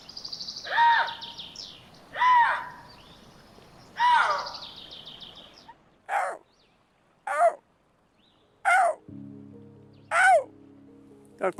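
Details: A Eurasian lynx from the Slovenia–Croatia population gives harsh, arching yowls, repeated every second or two, to call its companions.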